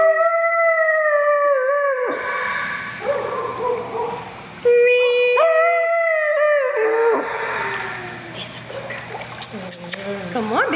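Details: A female Siberian Husky at a dog swimming club in Spring, Texas, "sings", howling in long, wavering, sung-sounding notes that rise and bend.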